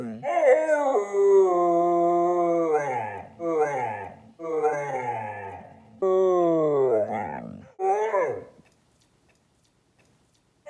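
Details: Stella, a pet dog, howls in about five long, wavering, harmonic wails. Each falls in pitch, and the last ones are shorter and broken. They are spread over eight seconds, followed by silence, with faint talking mixed in.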